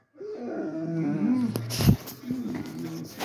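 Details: Rottweiler giving a deep, low, drawn-out baritone voice, rumbling and slightly wavering over about three seconds, in a small indoor room with a sharp knock or clatter midway.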